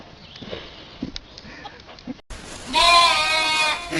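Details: Goat in a funny noise compilation from 2015; after faint knocks and a cut, one loud, long, harmonic bleat holds steady for about a second and a half.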